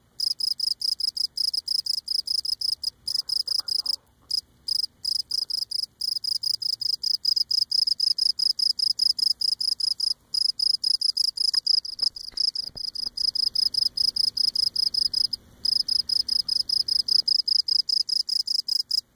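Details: Close-up singing cricket on Cape Cod, rubbing legs against abdomen; long sustained series of shrill even chirps, roughly four per second, with occasional short gaps and faint low background rustle.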